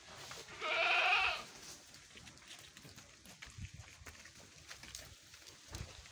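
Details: Goat from a pen holding large bucks and pregnant does in Indonesia gives one harmonic, slightly wavering bleat lasting under a second near the start. Quiet shuffling and faint background noise follow.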